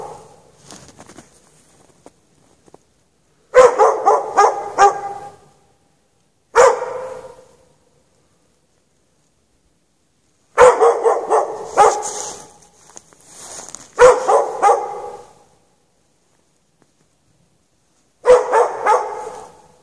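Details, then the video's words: Chained out in the snow with no shelter on a March night, a dog gives short volleys of rapid, repeated barks, each burst lasting about a second or two, broken by long silent gaps. "Dog barking chained out in the snow"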